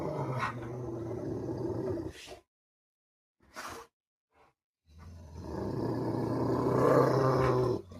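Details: Two Rottweilers fighting: low, rough, rumbling growls in a sustained burst lasting about two seconds, a near-silent pause, then a longer, louder stretch of snarling growl that builds toward the end.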